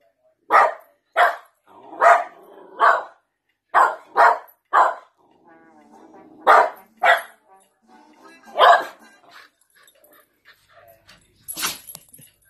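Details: Miniature American Shepherd dogs reacting to videos of their siblings on a screen, barking repeatedly in sharp broad bursts, roughly a dozen spaced through the stretch, with a faint voice and soft background sounds between barks.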